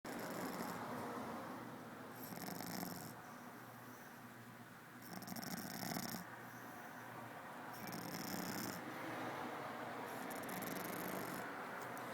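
A French Bulldog snores steadily. Each breath is a raspy, wheezing rattle with a hissy edge, and the rhythm repeats about every two to three seconds.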